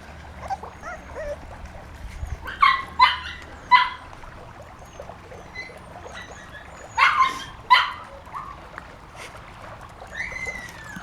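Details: Honey's puppies on their first time out of the pen, giving short high yips and barks in two clusters of three or four, with soft whimpers and rustling between.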